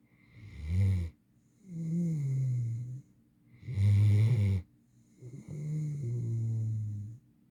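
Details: Eight-month-old female mantle Great Dane snoring while asleep: four deep, rumbling snores roughly every one and a half seconds, alternating short sharp inhalations with longer, smoother buzzing breaths.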